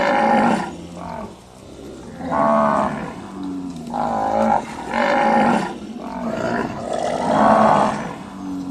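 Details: Cattle on a cattle farm in village life, giving loud, drawn-out moos repeated roughly every second and a half, each a rich harmonic low, with constant background farm noise.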